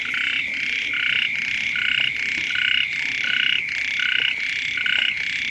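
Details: At the onset of the rains, frogs croak together beside a house, a loud throbbing chorus of overlapping croaks in bursts about half a second long, layered over an unbroken high hum.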